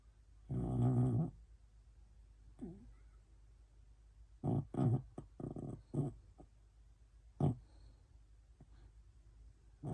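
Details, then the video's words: A sleeping pet poodle snores in an irregular series of low, rough grunting breaths: one long snore near the start, then a cluster of shorter snorts midway and a single one near the end, in a quiet room. "강아지 코골이"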